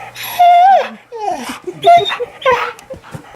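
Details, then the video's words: Australian Shepherd female indoors, crying in fear during a meltdown after her owner jokingly threatens to take her tongue; high wavering whines and yelps, sliding pitch, mixed with a person's voice. "Dog Gets Hysterical When Owner Tries To Steal Her Tongue"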